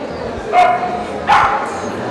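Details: Two loud, clipped barks about three quarters of a second apart from an American Staffordshire Terrier at a 2015 Kyiv dog meet-up, with a faint background of talking people.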